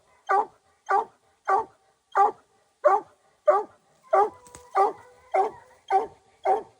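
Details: Hunting dog out after raccoons barks in a steady series, eleven short, punchy mid-pitched barks spaced a little over half a second apart, with quiet gaps between and a faint tonal hum in the background.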